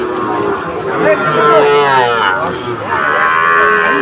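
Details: Sahiwal bull calves at a cattle market in Comilla, Bangladesh, 17 August 2024: a drawn-out, wavering moo rising and falling, then a second lowing call, over crowd chatter and market bustle.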